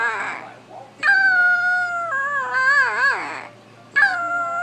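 Puppies give high, drawn-out howls that waver and bend downward before trailing off.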